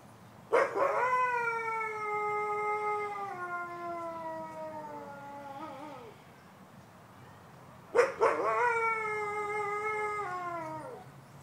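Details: Captive wolf at the Fresno zoo on Thanksgiving, giving two long, smooth, harmonic howls. Each starts abruptly, holds a steady mid pitch and sags slightly before fading. The first lasts about five seconds; a shorter one follows after a pause.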